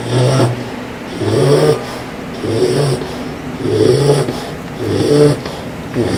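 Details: A bulldog snoring loudly, each breath a rough low rattling rumble with harmonics, repeating about every 1.2 seconds in an even sleeping rhythm.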